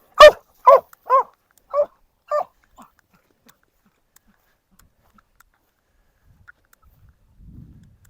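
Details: A hiker's dog gives five sharp, mid-pitched barks about half a second apart, then falls quiet before a low rumble of wind, at an evening wild camp on Sallows and Sour Howes near Kentmere in the Lake District.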